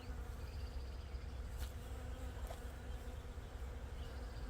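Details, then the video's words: Bees swarming the blossoms of a thornapple tree on a farm, honey bees among other kinds, make a continuous low droning buzz, with a couple of brief clicks partway through. "that little buzzing sound with all the bees they're everywhere"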